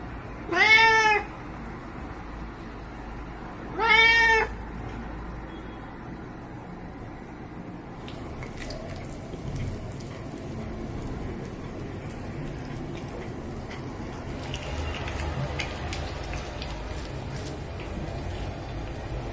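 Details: Ginger cat Captain Meow begging for shrimp, giving two loud harmonic meows near the start about three seconds apart, then only soft clicks and low room noise for the rest.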